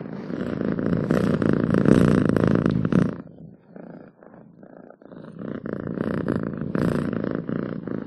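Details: House cat purring loudly and rapidly for three seconds, fading to a quiet gap, then resuming the rumbling purr at moderate strength.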